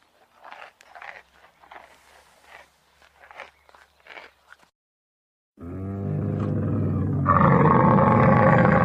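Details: Camel heard first as a few seconds of faint, breathy grunting bursts, then, after a short pause, a loud, low, deeply harmonic groaning bellow that swells and turns harsher and louder midway, held steadily to the end.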